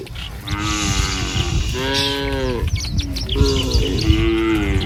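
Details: Three moos in close succession from tame village cattle walking in a line to pasture in the morning. The middle call is the loudest and fullest. Faint bird chirps are heard in the background.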